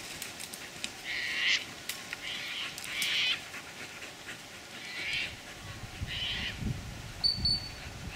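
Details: A young English Springer Spaniel gives short, high yelping barks in irregular bursts while hunting wild rabbits during a training session.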